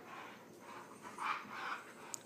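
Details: Husky pup wrestling and playing with another dog, a Husky, Chihuahua and Lab mix household, the two once at odds and now best friends; soft, muffled low growling grumbles swell twice in the middle, with a sharp knock at the end.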